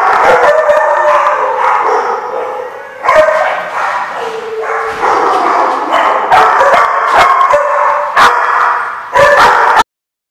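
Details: Several dogs bark, yip and howl together on 10/5/15, a dense loud chorus of wavering tones with sharp bark onsets scattered throughout, ending abruptly.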